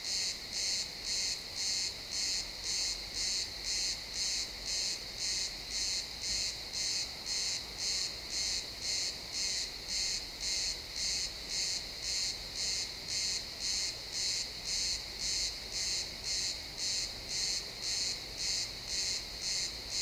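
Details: Sunset in a pine forest with crickets chirping: high, shimmering pulses repeat almost twice a second in an unbroken, very regular rhythm, the only clear sound against a quiet woodland background.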